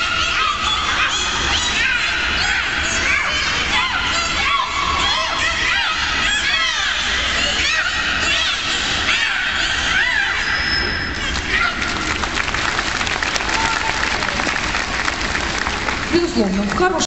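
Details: Captive beluga whales at the Minsk Dolphinarium make a dense chorus of squealing, wavering whistles and cries, some sounding like a baby crying.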